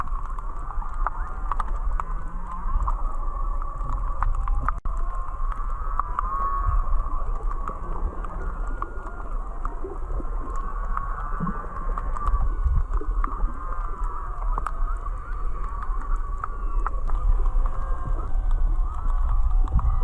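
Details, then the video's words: Whale song heard underwater while snorkeling on a recovering reef just north of Charley Young Beach, Kihei, Maui: wavering, moaning tones with faint harmonics drift up and down, over low rumbling water noise and scattered crackling clicks. "snorkeling to the Whale Song!"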